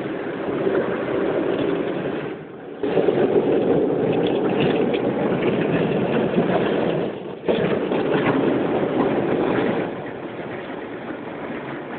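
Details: Steady loud rumble and rushing spray of a car wash, with no animal voice standing out.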